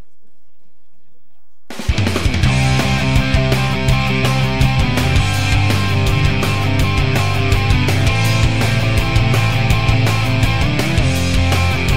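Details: Loud, heavy rock music with driving guitars and drums begins after a brief silence; no animal is heard.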